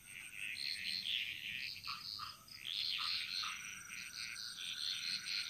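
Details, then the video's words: Bali jungle frog chorus, the many callers blending into a dense, high, shimmering trill with overlapping chirps and no single dominant voice. "Frog Mantras - Relaxing Sounds Of Bali"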